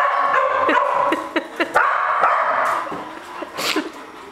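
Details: Border Collie, a male praised as a good boy, watching a game of pool; steady high-pitched whining holds through most of the clip, broken by sharp clicks, with a brief voice in the background.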